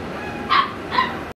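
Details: Female Labrador Retriever puppy gives two short, high-pitched yelps about half a second apart against a soft steady background hiss.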